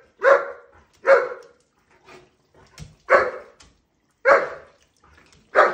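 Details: German Shepherd at shower time giving loud, harsh, broadband barks, five in all, spaced roughly one second apart with quiet gaps and faint soft sounds between them, in a small indoor space.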